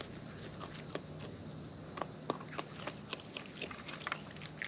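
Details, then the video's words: Wild raccoon eating, heard close up: a run of crisp crunchy bites and small clicks, several spaced louder snaps near the second and third seconds, with a low hum in the background. "Wild Raccoons & ASMR Chewing Sounds"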